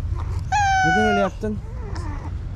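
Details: Hungry, angry stray cat in a village, met at the entrance before a late feeding, giving one loud, long, steady harsh meow lasting under a second, then a short follow-up note; a man speaks Turkish nearby.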